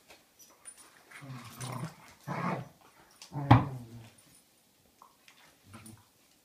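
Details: A German Shepherd Dog puppy playing with a Christmas toy indoors, giving low, short growls and grunts in three main bursts, with soft rustling between.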